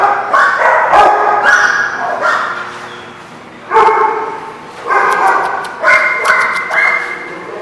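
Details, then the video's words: Dogs barking at The Barking Lot, recorded 22 April 2016: loud overlapping rough barks in repeated bursts, several voices at once, with brief pauses between volleys. "The Barking Lot"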